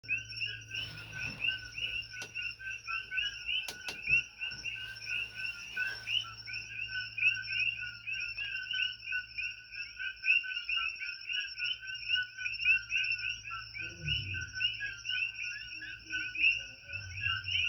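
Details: Invasive Coqui frogs calling at night on the Big Island of Hawaii, chirping all night long: a dense, continuous chorus of high, repeated two-note chirps from many frogs, with a faint low hum and a few knocks.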